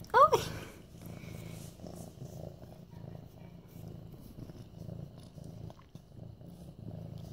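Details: Purring of Mufasa, a young medium-hair orange tabby tom nearly 8 months old, being petted indoors; a short high squeak opens, then an even, low pulsing purr continues to the end.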